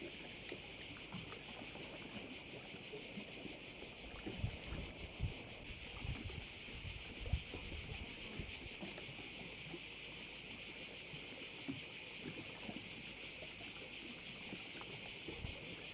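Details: An unbroken chorus of crickets overlooking a Korčula bay: a loud, sizzling high buzz pulsing roughly three times per second, with faint scattered low thuds beneath.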